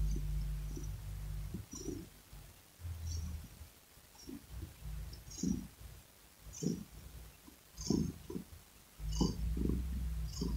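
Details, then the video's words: Domestic cat purring close up: a low rumbling throb pulsing in rough bursts about once a second, with soft clicking mouth noises above. "Cat Purring Sound"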